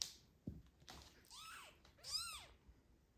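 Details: Domestic cat scene with a tiny kitten cared for by the father cat while the mother is away, indoors: two high, arching meows in quick succession, the second louder and longer, after a soft thump and some rustling.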